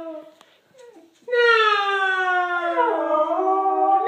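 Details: Corgi howling on cue when the word no is repeated, a long sustained harmonic wail starting after a second of quieter voice, steady then dipping and rising near the end, indoors.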